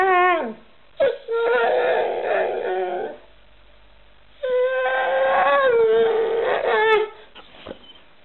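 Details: Alaskan Malamute vocalizing indoors in a pet compilation, two long wavering howls with a dense, rough, talkative quality separated by a quiet gap, ending in a brief whimper.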